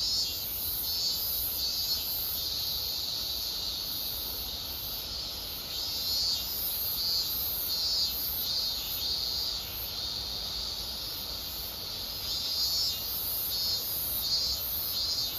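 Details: A dense cicada chorus at summer's end gives a steady high shrill hiss, with a softer pulsing buzz swelling about once a second.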